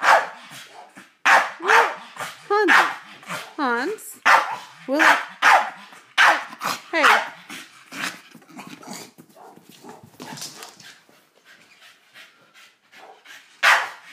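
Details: Staffordshire Bull Terrier indoors, puzzled while playing with a giant birthday balloon; a run of sharp barks and rising, whining yelps through the first half, quieter later, with a person talking to the dog throughout.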